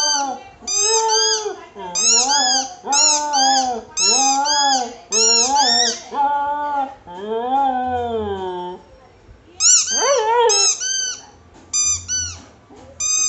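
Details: Cocker spaniel singing indoors: a run of arched, yodelling howls about once a second, then a long falling note, a quiet gap with faint voices, and a few higher whiny notes at the end.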